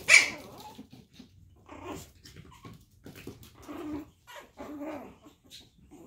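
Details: One loud, shrill yap from a Chihuahua puppy of Daisy's litter in a small room, then a string of soft, low growling grumbles and faint huffs over several seconds.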